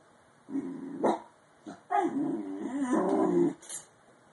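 A Bull Terrier puppy gives two drawn-out, wavering vocal yawns with a short squeak between them.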